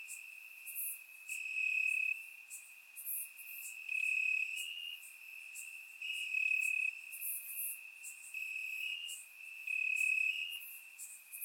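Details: Night chorus of crickets in summer grass in Bulgaria, captured by surround microphone: continuous high-pitched trilling with overlapping shimmering chirp bursts that swell and fade roughly every two seconds.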